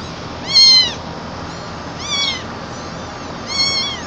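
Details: Gray mixbreed kitten crying loudly as it is carried, three bright, high-pitched arched meows about one and a half seconds apart against faint background hiss.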